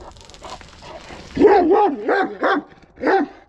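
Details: Kangal dog in an aggressive mood, a rough, strained opening bark followed by three quick harsh barks at roughly half-second intervals.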